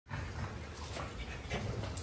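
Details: French Bulldog eating watermelon: broad, continuous snuffling and chewing noise with low wet smacking, steady throughout without clear barks or whines.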